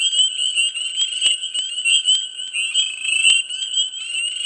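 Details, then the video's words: Dense frog chorus in a swamp in mid spring: a steady, high, overlapping trilling drone with many voices blended, broken by frequent sharp clicking notes. "Frogs,Dense,Mid Spring,Swamp Sound Effects"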